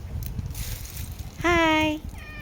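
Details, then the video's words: Cat giving a single drawn-out, slightly falling meow of about half a second, preceded by rustling and muffled background noise. "Cat Amma voice"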